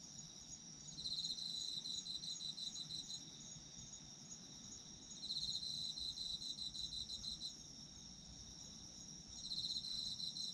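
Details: Autumn insects recorded for sleep listening: a steady high shimmering chorus with pulsed chirping bursts swelling in about every four seconds, lasting two to three seconds each, over a constant high trill and low background hum.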